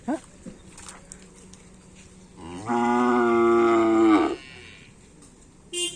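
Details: Bull race cattle training for karapan sapi at Asemanis, Pamekasan. After a quiet stretch of low background noise, one loud sustained moo lasts almost two seconds, and its pitch falls slightly at the end.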